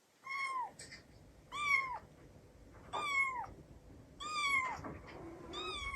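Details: Kitten meowing from Tsukushi's early days, played back indoors and drawing the household cats together. Five clear, loud meows, each rising then sliding down, spaced roughly every one and a quarter seconds.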